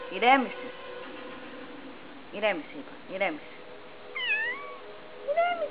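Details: Playful kitten named Dex, acting like a shark, gives several short arched meows, with a higher rising and falling meow near the end, over a steady hum and a woman's voice.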